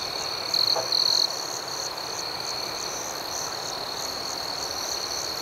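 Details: Night chorus of crickets outdoors, a high continuous trill with rapid pulsed chirps; two brief louder bursts stand out in the first second before the steady background returns.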